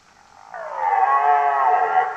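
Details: Belling red deer: a strained, moaning roar that starts abruptly and is held steady at full strength to the end of the short excerpt.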